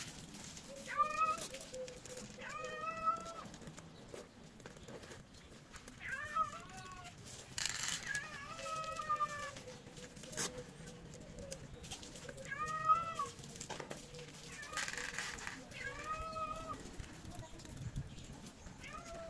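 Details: Hungry stray cats in Morocco, among them two pregnant females, meowing repeatedly; about eight drawn-out harmonic meows, each rising then falling, come every two seconds or so over low street rumble and faint rustling.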